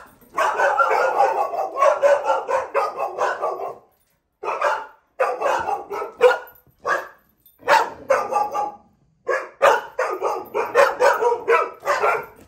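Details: Dogs barking excessively during rough housing, ahead of a trainer's correction; long runs of rapid, rough barks pile into near-continuous volleys, broken by brief silences around four and nine seconds.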